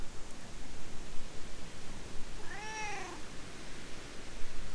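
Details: Stray cat approaching and talking in cat language before being petted and climbing onto a lap: a single drawn-out meow with a rising then falling tone, surrounded by low background rumble.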